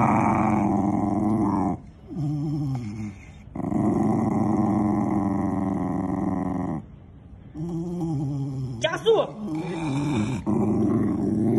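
A Shiba Inu screams in long, strained, wavering wails broken by short pauses, a protest at having its ear twisted. The cries come in three sustained bouts, with a brief human voice possibly mixed in.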